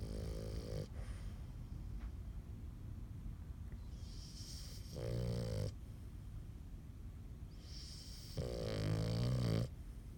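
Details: French Bulldog snoring while awake indoors: low, rattling, buzzy breaths, with two louder snorting snores of about a second each at regular intervals over a steady background hum.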